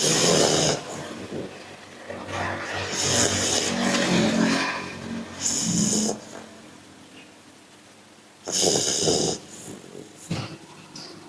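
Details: A pit bull named Austin snores in loud, rough, breathy bursts, several close together, then a quiet pause before another strong snore and a short snort.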